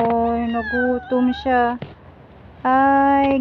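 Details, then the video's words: Hungry cat being fed from outside, meowing repeatedly in short harmonic calls, several quick meows in the first two seconds, then a pause and a longer, louder drawn-out meow. "Feeding hungry cat from outside"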